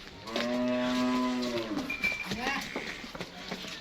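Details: Dutch Friesian cow of a high-yield milking breed, Bunga Hayat, Pakpattan Sharif, Pakistan. One steady, low, droning moo lasting just over a second, then a noisy farmyard background with a brief thin whistle and scattered knocks.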